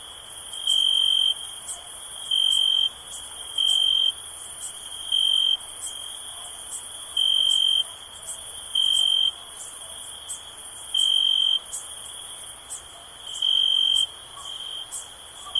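A cricket gives clear, high, steady chirping bursts over a faint background chorus of other insects.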